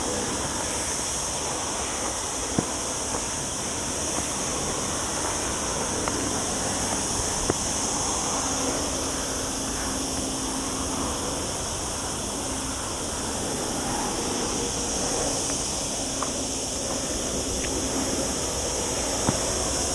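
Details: Cicadas singing among olive trees on a mountain hike in the lower Sierra Llana beside a town, during a very hot week on a cloudy day; a steady, high, hissing drone runs throughout, with occasional faint clicks and footsteps.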